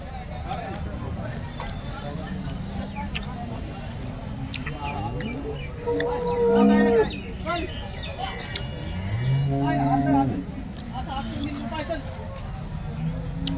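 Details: Cattle at the Loni cow market in Maharashtra on 5 February 2025: two drawn-out, low harmonic moos rise above the steady babble of voices and market bustle around the middle of the stretch.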